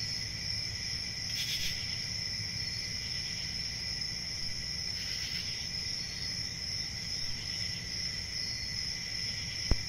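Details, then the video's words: Cricket chorus of continuous high trilling with a softer lower tone, two brief louder chirp bursts, low rumbling noise beneath, and a sharp click at the very end. "1 Hour of Cricket Sounds"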